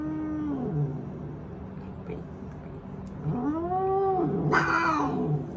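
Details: Male house cat loudly protesting while being given eye drops: long drawn-out yowls with clear harmonics, one falling after a steady start, then an arching rise-and-fall cry ending in a harsh, noisy burst, over low steady background hum.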